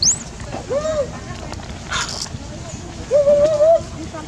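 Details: Dodo and other baby monkeys scream loudly while being fed, begging for food: two drawn-out, tonal, arched wails about two seconds apart, opening with a brief high squeak, over faint background noise.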